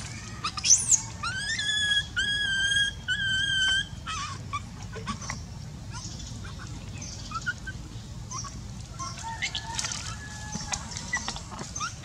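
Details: Baby monkey crying from pain in its eye: a burst of high, tonal, strongly harmonic wails in the first four seconds, some rising and then held level. Faint scattered squeaks and clicks follow over a steady low rumble.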